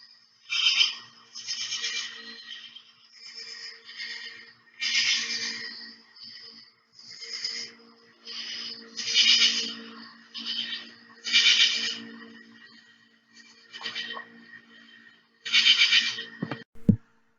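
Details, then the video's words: A katydid gives harsh, raspy chirps, each a short buzzy burst repeated every couple of seconds. "But listen carefully and you can hear what katydids sound like."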